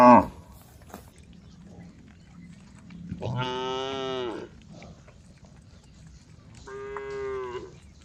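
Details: Cattle calling the herd on the way to the barn: after a sharp knock and quiet, one full-throated moo of about a second is followed by a shorter, steadier, more distant one.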